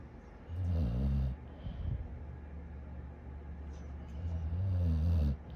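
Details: Dog snoring: two long, low, rumbling breaths, one near the start and one near the end, separated by quieter breathing.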